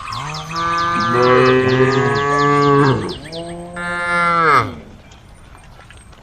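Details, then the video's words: Cows of a herd on the road calling: a sustained, deep, strained moo lasting about three seconds, then a second, brighter drawn-out moo that falls off, with soft high chirping at the start. "herd of cows on the road the sound of cows calling the herd"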